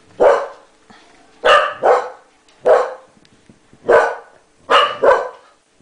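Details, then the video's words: English Cocker Spaniel barking at its owner after a sneeze, indoors, while a second dog tries to drive it away. Seven loud, sharp barks in about five seconds, several in quick pairs, with short quiet gaps between. "くしゃみに反応 その２ English Cocker Spaniel"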